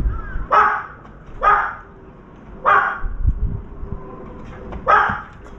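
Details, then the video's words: A dog's barks ring out near a veranda where a crow was startled: four evenly spaced woofs, roughly one per second and a half, with faint rustling and a low hum between them. "강아지 짓는 소리"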